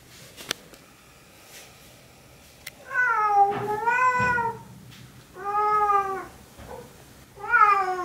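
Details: Female Siamese cat indoors howling and talking to her owner, asking for help getting a blanket down from the cat tree so she can fetch it again; three long, wavering, nasal yowls, each about a second long, after some light tapping.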